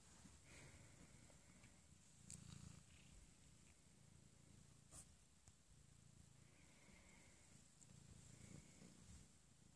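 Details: An Abyssinian cat snuggling in the morning purrs steadily, a low rumbling vibration that pulses rapidly without pause.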